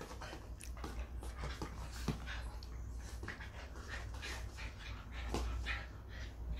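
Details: A schnauzer among visiting dogs pants rapidly in breathy bursts, mixed with brief high whimpering notes and a few sharper thuds, over a steady low background hum in a home.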